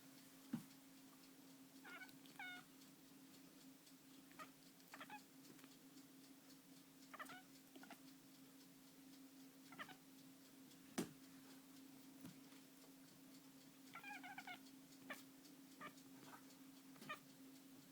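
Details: Female domestic cat shaking her jaw while making odd noises during a breakfast. Two short bursts of quick, stuttering harmonic chirps come several seconds apart, with scattered clicks, a steady electrical hum and a quiet indoor setting.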